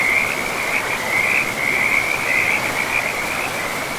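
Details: Forest river frogs on moss-covered land give a continuous high, pulsing trill that wavers slightly in pitch and never pauses, set over the constant hiss of running water.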